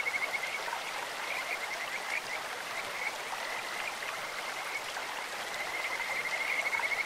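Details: Clear-stream Kajika frog voice: a continuous high chain of quick pulsed notes, patchy at first and building into a brighter trill near the end, over a constant wash of running water.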